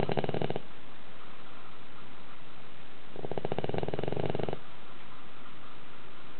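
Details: Sleeping dog snoring loudly in a tilted house, as loud as a middle-aged man: two rasping, pulsed snores, one short at the start and a longer one about three seconds later, with quiet breathing between.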